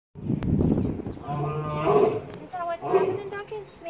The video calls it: lions roaring